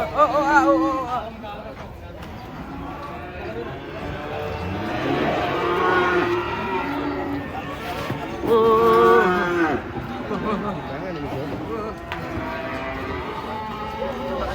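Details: Cattle unloading from a truck, several drawn-out moos overlapping, some rising and wavering, one loud bellow standing out midway, amid crowd chatter and a low mechanical drone.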